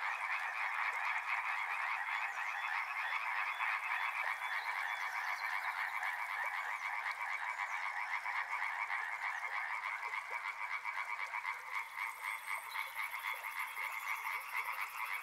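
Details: Dense chorus of frogs at a river, loud from the start and easing slightly later, countless rapid croaks merging into a continuous pulsing drone, with a high buzzing trill entering near the end.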